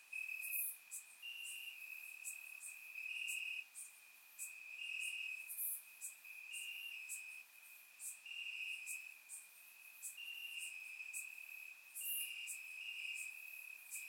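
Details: On a warm summer night in Bulgaria, crickets chirp in the grass, recorded with a surround microphone: a constant piercing trill with rhythmic louder bursts, and occasional very high short chirps standing out.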